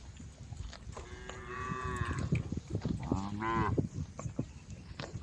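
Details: Cows of a roaming herd calling on a road, two fainter moos rising from a heavy low rumble and broadband noise, the second shorter and higher.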